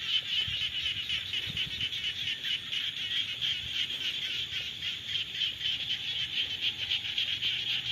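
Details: Frogs calling in the rainy season: a dense, continuous high-pitched chorus of rapid pulsing notes, many callers overlapping without pause throughout, with a faint low rumble underneath.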